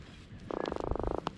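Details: An Atlantic croaker, just caught while kayak fishing in a saltwater creek and held before release, gives a rapid, buzzy drumming croak, a quick train of pulses lasting under a second, sounding upset.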